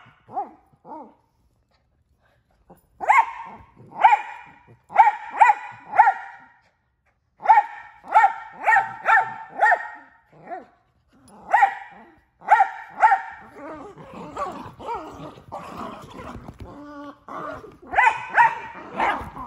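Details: Miniature Australian Shepherd, a male pet dog said to bark more than once a second, giving loud sharp barks in rapid bursts of three to five, pausing, then a busier stretch of yips, whines and vocal grumbles toward the end.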